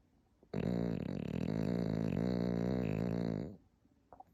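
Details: A Pekingese dog snoring in its sleep indoors, its snore likened to a dad's: a rattling, buzzy low drone with fast fluttering pulses, held for about three seconds before fading, followed by soft faint rustles.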